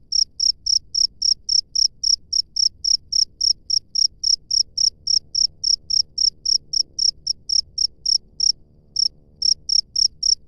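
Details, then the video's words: Steady high chirping of a wild cricket, quick pulses around three and a half per second, briefly faltering and stopping for a moment near the end before continuing, over a soft low background murmur. "SUARA JANGKRIK LANGSUNG DARI ALAM BEBAS"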